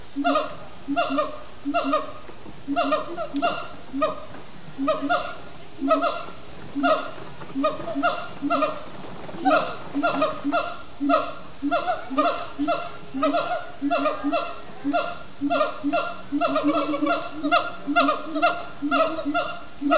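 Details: Siamang gibbons at sundown at Disney's Animal Kingdom, singing and chanting after brief frenetic play: loud rhythmic hooting notes pulsing several times per second, layered barking whoops stacked in bands, sustained throughout with steady repeated bursts.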